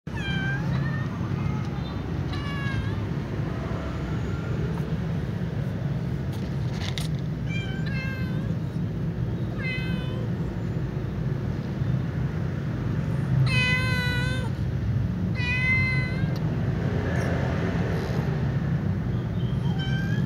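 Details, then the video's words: White cat meowing before eating alongside a ginger cat and a black cat; a series of clear harmonic meows, some short and some drawn out with wavering pitch, spread across the clip over steady low background rumble. "white cat meows and then eats with the ginger cat and black cat"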